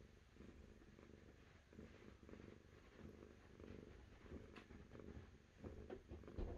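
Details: Cat purr, a continuous low vibrating drone rising and falling with each breath in an even rhythm, over a faint low-pitched background hum.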